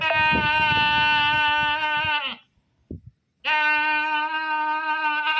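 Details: Screaming goat with two very long, sustained, trembling bleats of about two seconds each, a brief pause between them, some knocking under the first.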